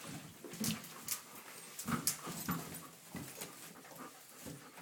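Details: Seven-week-old red rust Doberman Pinscher puppies from a litter born 7-12-10, playing indoors and tugging at shoelaces; short rough huffs, snuffles and low grunting bursts come in uneven clusters over scuffling and rustling.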